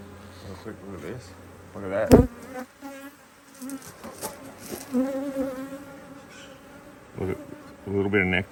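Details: Honey bee colony buzzing while a hive is opened to add another box of frames, Australia, autumn 2023, good weather; loud wavering buzz broken by a sharp knock early on and bursts of clattering handling noise near the end.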